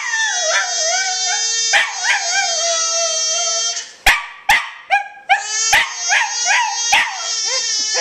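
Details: Indoors, a Welsh Terrier kept as a pet howls whenever the baby screams, joining in. A sustained, wavering howl runs for several seconds, broken by a few sharp clicks, then resumes with rising and falling modulations.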